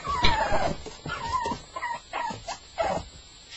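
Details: Staffordshire Bull Terrier on its first night, whimpering: a series of short, wavering whines near mid pitch, coming in bursts roughly every half second with faint background noise between.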